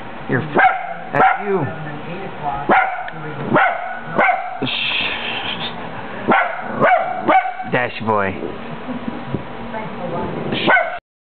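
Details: Pet male Italian Greyhound barking at himself, giving a series of single and paired barks with a short whining, yelping run near the end, mixed with a woman's talking.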